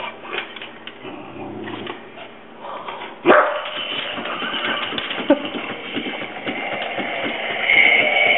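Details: Two male Havanese rescue dogs, Clyde and Hunter, confront a creepy green monster indoors, barking for the first time. Two sharp, loud barks land a couple of seconds apart, with softer yips and an owner urging them on.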